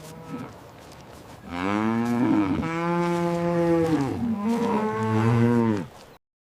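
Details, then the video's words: Cow mooing: a long, low, drawn-out moo that holds steady, then dips and swells into a second moo before stopping abruptly, with a faint brief sound beforehand. "This is the sound a cow makes."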